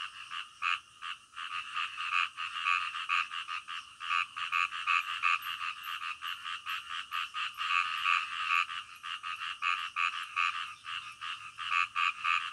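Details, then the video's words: Night-time frog chorus: loud, clipped, rattling croaks come in a fast uneven series, several overlapping callers keeping up a continuous pulsing din with no other sounds standing out. "SUARA KODOK DITENGAH MALAM"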